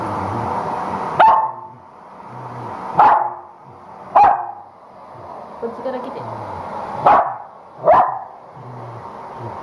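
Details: Corgi female protesting the hair dryer after a home shampoo she dislikes; five spaced sharp barks roughly every one to two seconds, with hair dryer hum and faint voices between.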